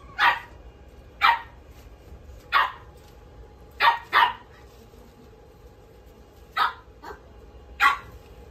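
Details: Red-coated male puppy born 5 May 2023, kept at a pet shop, barking in short sharp yaps at irregular intervals, some in quick doubles, against a steady low hum.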